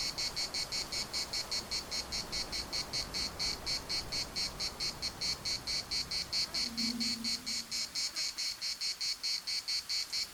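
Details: Larnaca municipal park cicadas sing a continuous piercing buzz broken into rapid, evenly spaced pulses; a brief low tonal hum appears about two-thirds through beneath the chorus.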